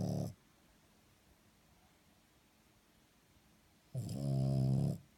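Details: French Bulldog snoring while asleep indoors: a brief low rasping snort cut off at the start, then a single full, deep, buzzy snore lasting about one second after a quiet pause.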